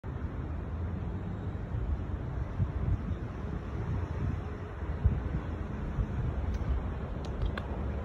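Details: Low, steady rumble of wind and passing traffic, with no animal voice heard.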